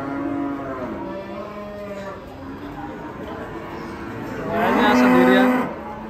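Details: An enraged cow, its neck squeezed by a tight rope, that went on to charge an old man. Low lowing runs through the opening seconds, then a loud, drawn-out harmonic moo swells and holds for about a second near the end.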